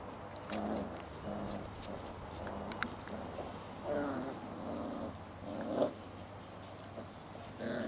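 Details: Six-week-old Basset Hound puppies play in a garden with their mother and father nearby on 19 September 2009. Short whiny yelps and grumbling bursts come roughly every second amid rustling and soft thumps.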